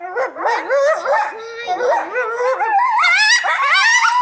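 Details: Several coyotes at the Alaska Zoo in Anchorage, Alaska, howl and yip together in a wavering group chorus of rising and falling wails.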